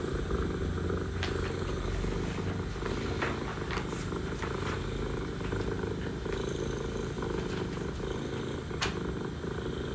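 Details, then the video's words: Mother cat in Istanbul purring while talking to her kittens: a steady, low, rumbling purr running without break, with faint clicks and light background hum. "Mother cat purring, mother cat talking to kittens"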